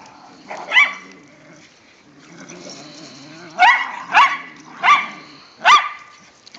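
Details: Whippets and a rat terrier romp in the first light snow of the season. Five short, sharp, high barks ring out, one alone and then four in quick succession, with soft whines and a person's voice in between.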